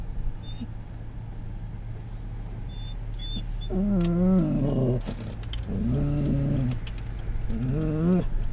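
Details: In October 2010 a Scottish Terrier on a car ride reacts to things around it with three drawn-out, wobbling whines spaced about two seconds apart, set against continuous road rumble and faint clicks.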